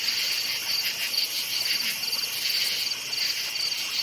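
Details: Night forest crickets chirp steadily in a high, shimmering chorus, pulses repeating about twice a second.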